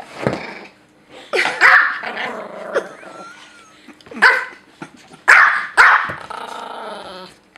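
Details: A household Pomeranian holds the couch against a Great Dane getting too close, inside the home. Loud, sharp, high-pitched yapping barks come in irregular bursts, mixed with snarling growls and short gaps of quiet.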